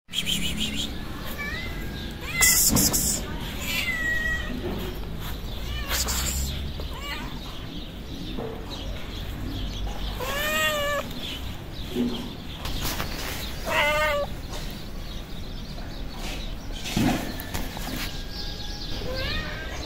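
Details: Hungry feral street cats, a tabby and a white cat with blue and yellow eyes, meowing while approaching; several arched, rising-falling meows around the middle, with a person's voice and street background noise.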